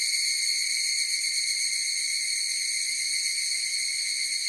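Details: Chorus of higurashi cicadas: a shrill, sustained, shimmering drone of several high tones that never breaks or changes pitch, forming the only sound present.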